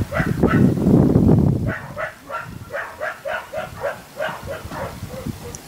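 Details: Portuguese Water Dog barking during agility training: a run of short, even barks about three per second after a burst of loud noise at the start.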